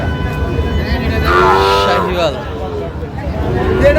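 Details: Sahiwal bull calf at a busy cattle market in Chittagong, Bangladesh, on 4 August 2025: one drawn-out, falling moo of about a second, rich in harmonics, with men's bargaining voices and crowd noise throughout.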